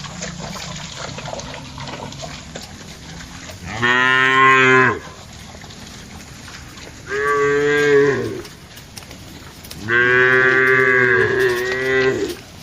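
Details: Cattle foraging and interacting in a wide plantation, three loud harmonic moos each about one to two seconds long, spaced about three seconds apart, the last one longest and wavering, over steady background hum.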